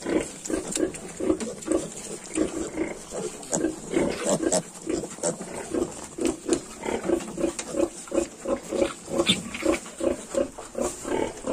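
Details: A litter of 22-day-old Yorkshire piglets grunts continuously, short pulses repeated roughly every half second from several animals, with light rustling and steady hiss.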